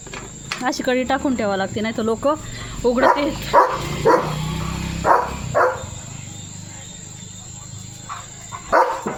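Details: German Shepherd named Leo during his morning routine of a countryside walk and play: a run of short, sharp barks at irregular intervals, some in quick pairs, after a human voice talking at the start, with a steady high insect whine throughout.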